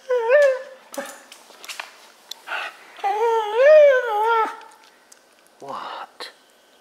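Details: A Wire Fox Terrier indoors whines and yodels because he wants a balloon floating above him. There are wavering, rising-and-falling whines, a long wobbling one in the middle, and short sharp clicks and yips between them.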